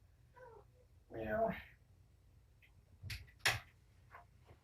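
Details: Kitten from a litter of five, four males and one female, indoors during afternoon antibiotic eye-ointment treatment, gives a single short harmonic mew; a person talks softly and there are a few soft knocks afterwards.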